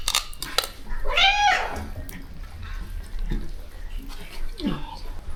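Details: Rescue cat at a shelter where more than thirty rescue cats are fed; one clear arching meow, rising then falling, just after the first second, with clinking dishes and an excited human voice around it.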